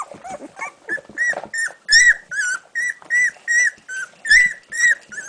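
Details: One-week-old golden retriever puppies searching for their mother's milk; high whining whimpers, rising and falling, repeated about every half second in steady bursts indoors.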